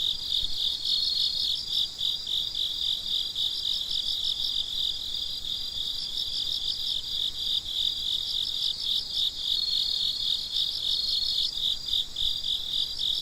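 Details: Night crickets singing together: a dense, shrill chirping band with repeated pulsed bursts layered over a constant high trill, steady in loudness throughout.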